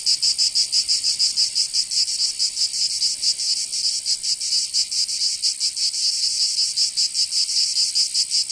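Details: High rasping cicada song from a summer day in Provence, in the south of France, throbbing in uneven pulses over a constant buzzing background, bright and loud, nothing else audible.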